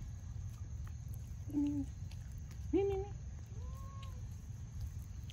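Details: Mother cat with her kitten: three short tonal meows about a second apart, the first flat, the second sliding upward then levelling, the third gently arched, over a steady low rumble of background noise.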